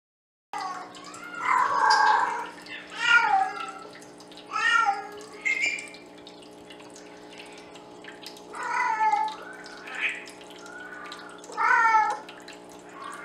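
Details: Penny, a female Bengal cat, cranks up the volume to sing to the boys: a loose series of long, drawn-out, harmonic meows, some rising and others falling, separated by short quiet gaps. A steady low hum runs underneath.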